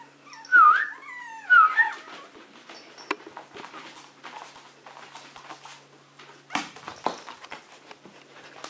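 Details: Maltese puppy indoors at the Herzen kennel whining twice, loud sliding whimpers that dip and rise about a second apart, then quiet scuffling and soft knocks in a small room.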